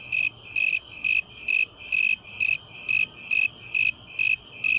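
A cricket sings steady, shrill chirps, each a brief buzzy trill repeated about twice a second.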